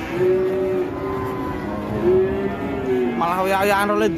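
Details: Cattle being released and becoming enraged, watched by an elderly handler; sustained, steady, low moos overlapping one another, with a voice cutting in near the end.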